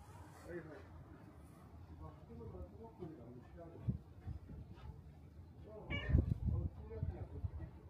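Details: Shrine's black cat greeting at the torii gate, giving a clear, rising meow near the end, preceded by soft murmured human voices and shuffling sounds against low background hum.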